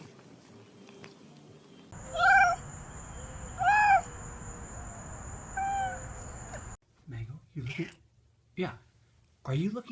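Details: Domestic cat answering its human with three separate meows about 1.5 seconds apart, each short and rising-falling, over a steady high electronic whine; after an abrupt cut come a few quieter yelps and bumps.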